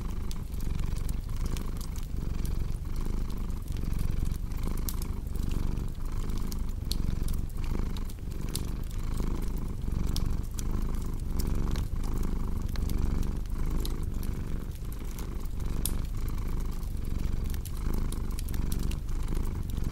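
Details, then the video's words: Domestic cat purring in a steady low rumble that swells with each breath roughly every second, mixed with the sharp pops and crackles of a cozy fireplace throughout. "Purring Cat with Cozy Crackling Fireplace Sound"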